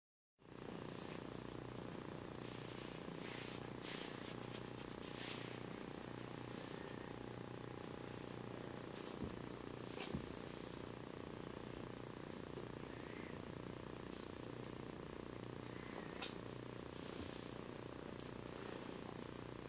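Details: One-year-old three-legged Bengal tabby mix named Cami purring while having her chin scratched indoors; a steady low continuous purr with a few faint clicks and rustles.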